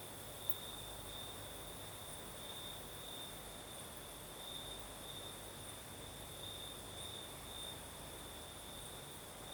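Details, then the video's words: Nighttime crickets in the south of Crimea sing a long, unbroken high trill with a faint, higher shimmering layer, while a light breeze hisses steadily throughout. "Сверчки поют"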